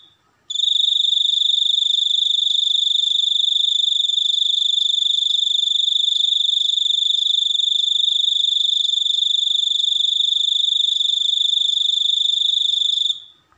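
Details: Cricket chirping starts abruptly after half a second and holds as one unbroken, piercing high trill of fast even pulses for about twelve seconds before fading out at the end.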